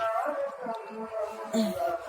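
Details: A puppy gives a drawn-out, wavering whine-howl likened to a cow crying, tired of sitting in and pleading to have the gate opened to go outside, with people talking nearby.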